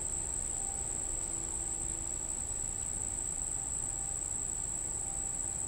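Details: Unidentified insect near Monticello Lake, Arkansas, July 14, 2012, 6:31 pm, in summer evening: a steady, very high-pitched monotone trill that never pauses, over a low background rumble. Finding: insect.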